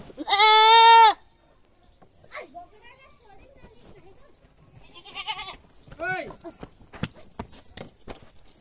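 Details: Village goat screaming loudly: one long, harsh, strongly harmonic bleat lasting about a second opens, followed by faint rustles and murmurs, then a shorter, quavering bleat near six seconds and a few sharp clicks.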